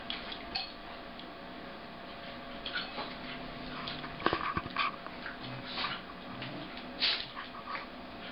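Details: Two corgis wrestling indoors at play, slowed to half speed: a red and white male making the noise and a sable female. Low drawn-out grumbling vocal bursts rise above a steady indoor hum, with scuffling between them.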